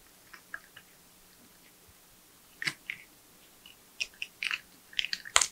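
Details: Crisp gnawing and wet crunching from a porcupine eating nuts, bananas, sweet potatoes, apples and carrots; a few quiet bites, then denser, louder chewing toward the end.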